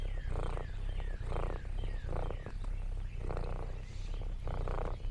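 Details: Lexi, an orange tabby cat exploring a countryside farm, gives a contented purr that pulses in rhythmic bursts roughly once a second over a low rumble, with faint descending bird chirps in the background.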